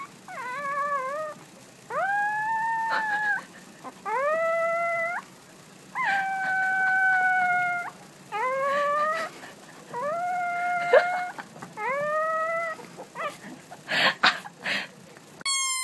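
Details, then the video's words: Puppies howling: seven clear, sustained tonal howls, each rising at the start then holding steady, repeated about every two seconds over a faint background hiss, ending in a few sharp clattering noises. "CUTE PUPPIES HOWLING COMPILATION"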